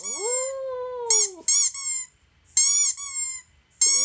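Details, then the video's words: Male toy poodle howling indoors at squeaky toy sounds played from a laptop. One long, smooth howl swells and gently falls, then short, bright squeaks from the toy recording repeat in bursts. "Poodle howling with Squeaky Toy"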